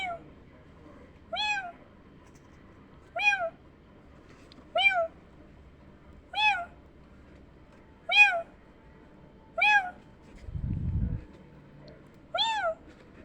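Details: Kittens hearing meowing: sharp, high meows that rise and fall, repeated every second and a half or so, with a brief low rumble near the end in a quiet room.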